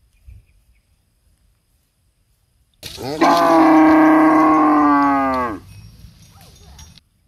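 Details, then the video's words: Nursing cows in a palm oil plantation: one strong, sustained moo of nearly three seconds, steady in pitch with many harmonics, fading into a low rumble, otherwise quiet surroundings. "the sound of cows breastfeeding in a beautiful palm oil plantation"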